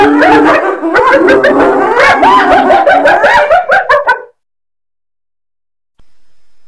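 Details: Hyena giving a rapid, chattering run of harsh, staccato giggle-like notes for about four seconds, dense and overlapping, then breaking off into near silence.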